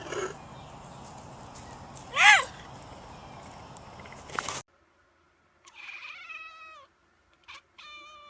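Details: Domestic cat talking with its humans: one loud wavering meow, then after an abrupt cut a longer drawn-out meow gliding downward at the end, followed by a short squeaky call near the close.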